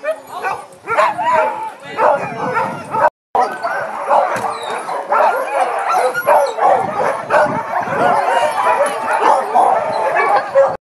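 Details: Huskies at an Arctic husky farm in Pyhätunturi, Finnish Lapland, in winter, eager and ready before a 10 km sleigh ride; a chorus of excited yips, howls and barks from many dogs overlapping, with human voices mixed in.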